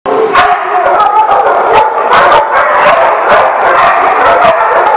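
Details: Dogs barking in a dense, overlapping chorus, with sharp bark bursts nearly every half second over a constant, loud din of yaps and howl-like tones, all the way through.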